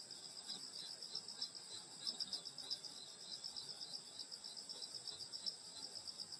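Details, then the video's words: Countryside summer-night insect chorus near a grandmother's rural house in Korea, thick high shimmering trills pulsing rapidly and unevenly, bright ringing layers running without pause over faint low background hush. "여름소리 풀벌레소리 시골밤소리"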